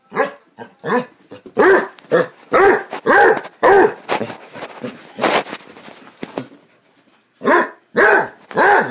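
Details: Basset Hounds playing, giving loud bursts of deep, arched barks in irregular runs, some overlapping, with a quieter gap of softer noises before barking resumes at the end.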